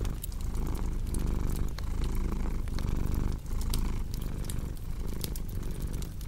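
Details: Cat purr as a deep continuous rumble rising and falling with breathing cycles, mixed with frequent sharp crackles from a cozy fireplace.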